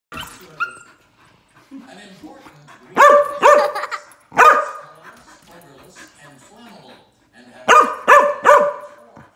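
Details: Husky meeting a 20-week-old golden retriever puppy and not impressed: bursts of harmonic, moaning yowls and grumbles, several clustered together around three to five seconds and again near eight seconds, with quieter murmuring between them.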